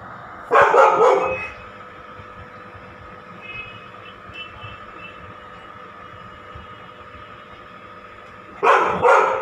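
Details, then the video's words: Female Labrador Retriever barking at her own reflection: a short burst of loud, rough barks near the start, a long quiet stretch, then another burst at the end, with faint steady music underneath. "My Labrador dog barking by seeing herself"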